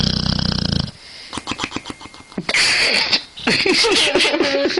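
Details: A sleeping dog snores: an opening burst of rapid pulsed rasping gives way to uneven wheezy, rattling breaths, with a long noisy exhale in the middle.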